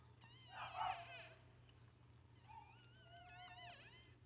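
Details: Squeaky, wobbling cries from newborn Chihuahua puppies during their mother's delivery, seen up close: a louder cluster of squeals near the start, then a pause, then several thinner wavering whines over a low background hum.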